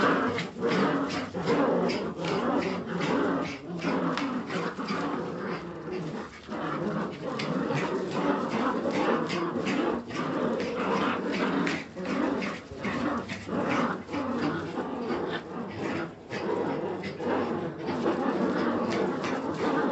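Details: Several Jagdterrier puppies growl and whimper together in a steady, rasping stream of pulsed sound, bursts coming slightly more regularly than once a second, with short dips of quiet; small-room echo and scuffling underneath.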